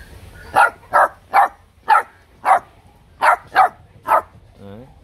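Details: Vietnamese bobtail puppy from a litter of three barking cheekily: eight sharp, bright barks in uneven clusters over five seconds, with a short, faint whine at the end.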